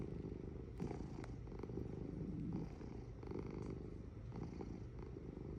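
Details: Cat purring close up, a deep, even throbbing drone with slight swells at each breath, a few soft clicks over the rumble.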